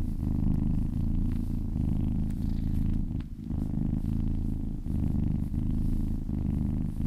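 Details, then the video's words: Massaged cat purring happily, a loud low vibrating rumble with a short pause around the middle as breath changes. "Cat massage ASMR | Purring kittens ASMR"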